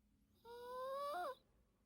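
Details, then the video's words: Yorkshire Terrier named Teto snoring during a daytime nap indoors: a single whistled, nasal snore lasting about a second, its tone sliding gently upward before a brief wobble at the end, with a quiet room around it. "요키 테토공쥬❤️코골이"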